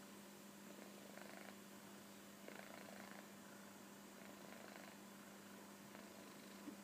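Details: Koro, a kitten sleeping comfortably on a sofa, snores softly: raspy breathy bursts, three in under seven seconds, over a steady low electrical hum in a quiet room.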